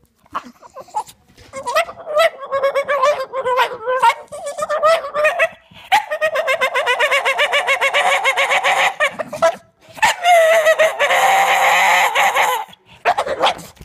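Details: Mowgli, a Staffordshire Bull Terrier who loves balls and sticks, voices his wish to play with a long run of warbling, yodel-like whines and grumbly moans. The sounds come in bursts, break briefly near the middle, then resume loudly.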